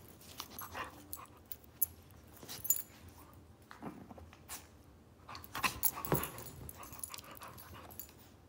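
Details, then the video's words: Wrestling between Zou Zou, a 9-week-old female Shih Tzu puppy, and her pit bull friend Lola. Scattered soft grunts and breathy rasps, then a denser burst of rough huffing near six seconds over quiet room noise. "Zou Zou the 9 week old Shih tzu and her PITBULL friend wrestle"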